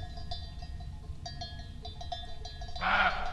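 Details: Roe deer barking in meadows of Rascafría, Sierra de Guadarrama National Park, near a young black vulture's nest, after the rut, possibly startled by roaming cows; one short hoarse bark near the end over steady tinkling cowbells.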